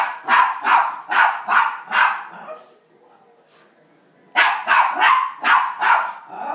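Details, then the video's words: Indoor rat terrier barking at elk hunting footage on television, five quick harsh barks, a brief quiet spell, then another run of five barks. "My rat terrier Sam watching hunting Elk on TV."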